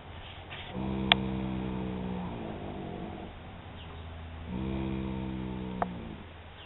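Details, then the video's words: One-year-three-month-old filly Molly snoring with eyes open, two drawn-out low humming snores that fade gently at their ends, with a couple of sharp clicks in the background. "Horse Snoring"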